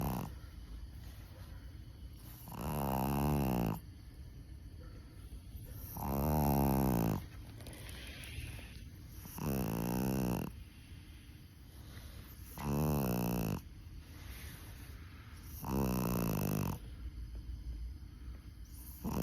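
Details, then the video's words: Chihuahua snoring while asleep, very tired after a camping trip: rough, buzzy snores about one second long, repeating every three seconds with quiet breathing gaps between them and a faint steady hiss in the background. "#치와와 #강아지 코골이"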